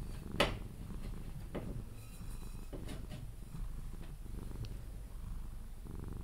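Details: Pepe, a pet Sphynx cat, purring while cuddled until falling asleep; a low continuous rumble with a few sharp clicks and rustles from handling.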